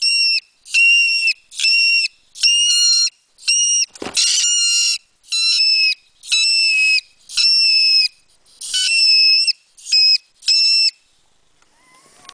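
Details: Mink squealing steadily: about a dozen shrill, whistled bursts, each under half a second, repeated almost evenly, with one harsh, crackling cry partway through.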